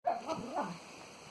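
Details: Springer spaniel and cocker spaniel rescue dogs playing in a garden just after a walk; one gives a brief harmonic whine-like yelp that bends up and down over about a second, then fades into quiet background.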